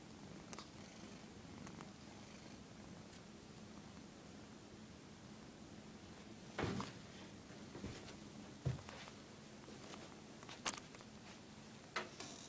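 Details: Pet cat indoors, said to hate being filmed, purring in a steady low continuous drone throughout, broken by several sharp clicks and brief knocks.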